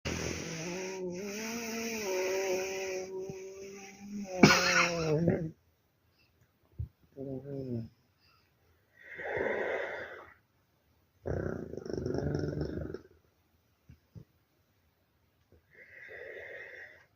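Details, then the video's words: Snoring dog likened to a tractor: after a long tonal, harmonic opening sound, loud rasping breathy snores come in separate bursts of one to two seconds with short quiet gaps, indoors. "Храпящий пёс трактор"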